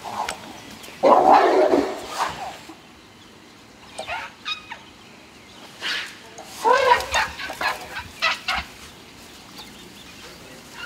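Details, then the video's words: Young Asian elephant Wan Mai, a talkative youngster making happy noises as she runs to greet her elephant friends Pyimai and Chaba; a loud squealing burst near the start, then scattered short squeaks and chirps with quiet gaps between. "Baby Elephant Wan Mai Run To See Her Friend And Have A Conversation"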